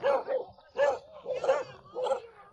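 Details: Five or six domestic dogs at an elderly man's home deep in the Guizhou mountains bark at a visitor: four loud, rough barks about half a second apart over a low background rumble.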